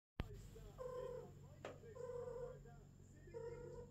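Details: Female cat at her first mating, with a golden British longhair and a silver British shorthair: three drawn-out, harmonic meowing wails, each about half a second long, over a steady low hum.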